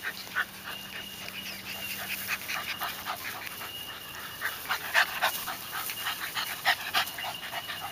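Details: Seven-week-old puppies playing with adult dogs, rapid rhythmic breathy panting about four pants per second, soft broadband puffs with a faint steady high tone running throughout.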